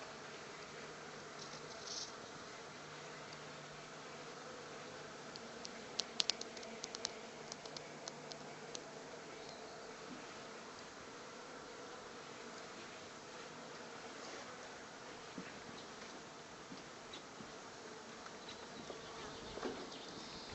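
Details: Honey bees that have unexpectedly taken to a workshop, giving a faint, steady low hum with soft overtones under a hiss of room noise, and a few brief clicks and knocks around six to eight seconds.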